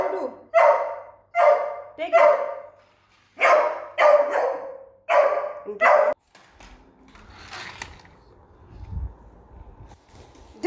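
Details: Beagle puppy Doodle, still very small and startled by a remote control car it has just met, fires off a rapid series of seven barks, some doubled, then falls quiet while voices and household noise continue.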